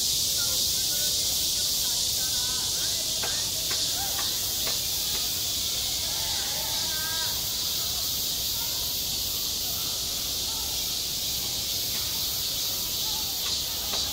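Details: Cicadas singing in midsummer at a school playground: a dense, unbroken high hiss-like buzz fills the whole stretch, with faint distant voices and sharp knocks or taps scattered beneath.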